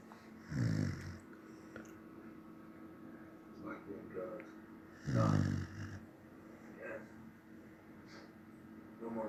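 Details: A dozing Samoyed snores in long, rumbling rattles, two loud ones about five seconds apart plus softer breaths, while faint voices murmur in the background.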